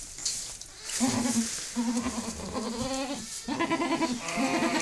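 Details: Mother goat in labour with her second kid, just after the first was born; a run of low, quavering bleats, several back to back with brief breaks, over background hiss.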